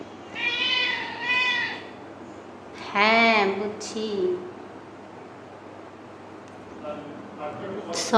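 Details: Kittens calling their owner with loud attention-seeking meows: two drawn-out level meows in quick succession, then a strong arched meow near the middle and a brief squeak at the end, with a person speaking Bengali in the background.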